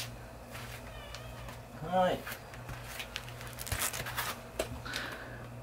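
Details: Chacha, a pet cat indoors, lets out one short meow with stacked harmonics about two seconds in, over a background of human speech and low room hum.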